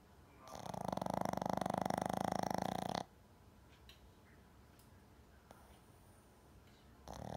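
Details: A sleeping Shih Tzu named Jam gives one long, vigorous snore of about two and a half seconds, with a rough, vibrating quality. A quiet stretch follows, then another snore starts at the very end.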